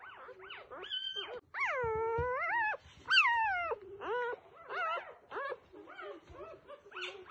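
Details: Newborn F1B standard Goldendoodle puppies whine and squeal in thin, rising and falling cries.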